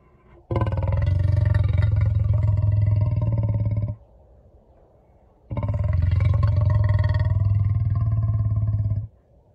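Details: Lion purring in two long, loud bouts of about three and a half seconds each, a deep pulsing low rumble with rapid regular beats, separated by a quiet gap of breath.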